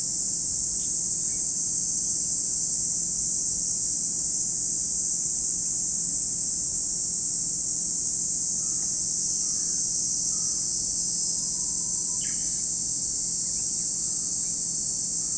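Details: Continuous high-pitched hiss of cicadas beside Lake Kamo, Sado City, Niigata Prefecture, Japan, holding level throughout, with a few faint scattered chirps in the background.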